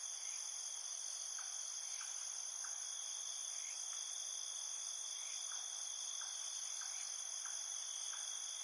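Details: Crickets chirping in a field trill in steady, high, ringing bands, with faint short chirps scattered through.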